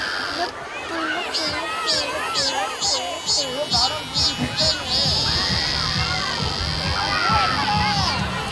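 A cicada sings a high, shrill buzz in quick pulses, then a steady drone, over people talking.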